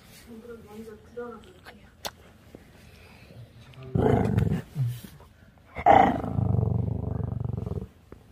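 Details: Chorong, a 10-year-old pet Maltese, indoors while two sibling owners quarrel: soft speech first, then two rough, pulsing growl bursts, the second longer and sustained for about two seconds.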